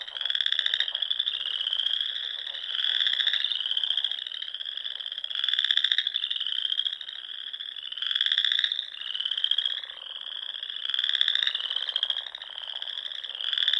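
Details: Nebraska Sandhills frog chorus near small lakes at dusk in spring: a steady high-pitched trilling with rhythmic louder pulsed trills rising roughly every one to one and a half seconds, many callers overlapping.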